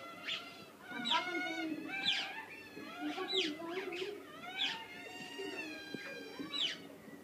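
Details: Several otters in a zoo beg for food before feeding, giving piercing high squeals that drop steeply in pitch, bursts arriving about once a second, layered with softer chirping from the rest of the group.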